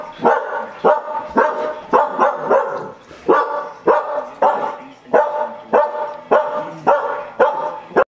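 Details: Dog barking at a running vacuum cleaner at home: steady series of loud, harsh barks, often doubled, about every half second over eight seconds, with vacuum drone behind.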